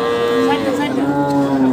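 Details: Cattle at the Ambari cattle market near Dinajpur, Bangladesh, where Sahiwal and local cows, heifers, bulls and calves are sold on Mondays, recorded 20 June; one steady, drawn-out tonal moo holding an even pitch, with faint crowd noise behind.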